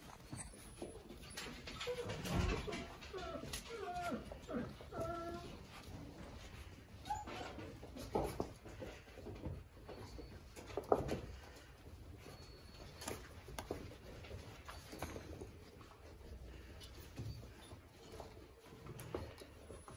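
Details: Weimaraner puppies, a combined gang of eighteen from two litters aged 30 and 33 days, playing indoors after a nap: high thin whimpers and squeaky yelps in short bursts over scrabbling paws, thumps and a faint human voice.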